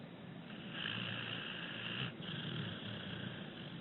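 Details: Six-year-old rescued pit bull Abbie snores in her sleep, breathing gently: one drawn-out, rasping breath with a steady humming tone lasting over a second, a short break, then a second long, softer raspy breath, with background hiss throughout.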